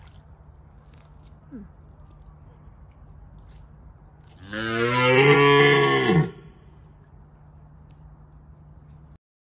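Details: Red deer stag roaring in Bushy Park during the rutting season to deter rivals: one loud, hoarse, deep roar of about two seconds with a dropping end, set against a steady low background hum.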